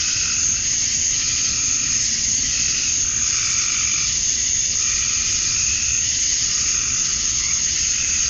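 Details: Summer dusk chorus of male cicadas in Georgia, USA, calling to draw females: a continuous shrill whine holds level throughout, and lower throbbing phrases recur roughly every two seconds underneath.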